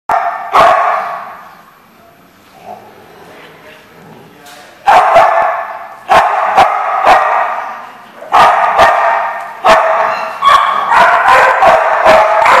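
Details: Dog barking, recorded 31 October 2014; after several quiet seconds with faint sounds, sharp loud barks break out in clusters, single and doubled, a few seconds apart.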